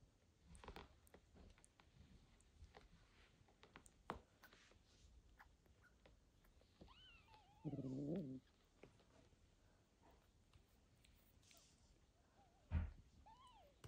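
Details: Indoors, a mother cat back from the vet after a difficult birth and surgery meets her newborn kitten Michael, who keeps searching for milk. A few thin, high mews rise and fall, with one short, harsher low call, scattered clicks and a quiet room.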